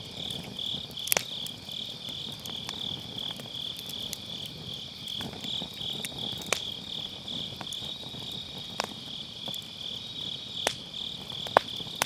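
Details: Continuous bright insect trilling from grass insects on an autumn night, recorded by a round fire pit with a Sennheiser MKE600 and low cut; crackling logs add irregular clicks and a few louder pops across the span.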